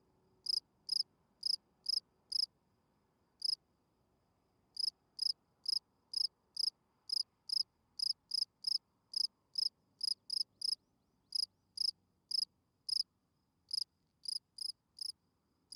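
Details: Field cricket chirping at night, described as a spring field cricket whose calling song attracts females. Sharp pulsed chirps come in quick runs broken by short pauses of one to two seconds, sometimes doubling up, against a quiet background.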